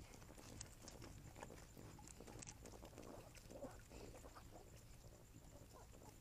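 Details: Desert night at the critter ponds shortly before midnight: a group of javelinas, adults with five recently born reds, digs at the ground. Soft, irregular grunting bursts and snorts come and go over low background rumble and a thin constant high tone.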